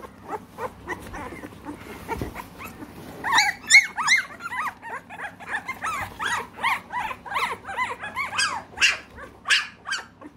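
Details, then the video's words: American Bully puppies, three weeks old, in Britain: quieter scattered whimpers at first, then from about three seconds a chorus of many arched, squealing whines overlapping rapidly, some sharp high yelps. "American Bully"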